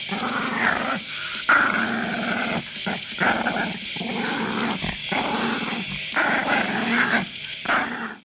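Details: Grumpy papillon keeps up a steady string of throaty, rattling growls, roughly eight bouts over eight seconds, each cut by a quick pause for breath, then fading at the end.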